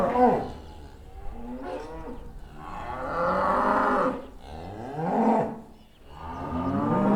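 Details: Cows returning to their barn, rough, bellowing moos from several animals, overlapping and uneven, rising then falling in pitch.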